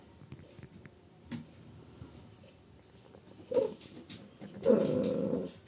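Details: Shiba Inu puppies at 72 days old, indoors in a small room: short low growling bursts, one near three and a half seconds and a longer, rougher growl around five seconds, with soft rustling between.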